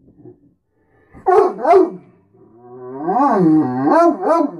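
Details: Great Dane named Beacon talking each morning to be fed and noticed: two short, yodelling yips followed by a longer rising-and-falling moaning phrase with a wobbling, voice-like pitch.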